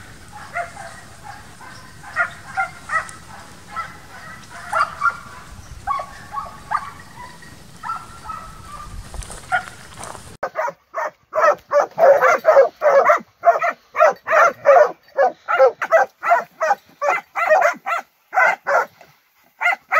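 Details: Young Transylvanian Hounds in intensive summer wild boar hunting training. Distant, irregular barking gives way to a hound barking close and loud in a rapid, steady run of about two to three barks per second.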